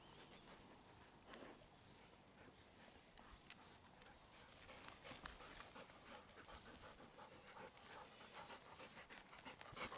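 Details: Twelve-year-old Golden Retriever named Ibuki, shedding her coat, lying and rolling on the ground outdoors near a field. Quick soft breathy panting runs steadily, close to three breaths a second, with faint high chirps in the background.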